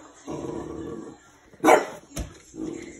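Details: A French Bulldog barks at an old oven being cleaned, which he dislikes, giving a single gruff bark between low, grumbling murmurs.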